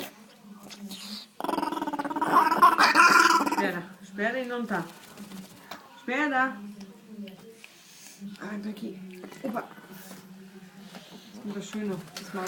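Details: Little dog being dried off after a bath gives wavering, rising and falling whines and low grumbling growls in several bursts, while a person speaks softly in German nearby in a small room.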